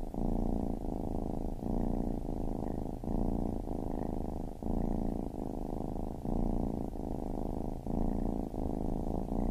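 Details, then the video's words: A baby kitten purring in a steady rhythm: rumbling phases alternate with short breath gaps roughly every 0.8 seconds, low and buzzy throughout. "Baby Kitten Purring"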